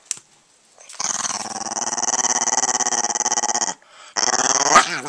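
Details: An Italian Greyhound being teased gives a long, rattling growl, then a second rising grumble, with a person talking nearby.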